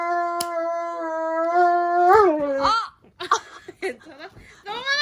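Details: Dobermann named Roman wailing during nail clipping, its one trim of the year; a long steady howl with clear harmonics for two seconds breaks into wavering yelps and short cries, then a rising whine.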